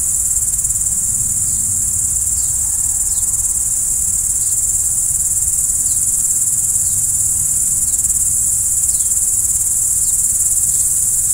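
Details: An unbroken shrill trill from crickets at night fills the whole stretch, with faint brief descending flicks recurring roughly every second.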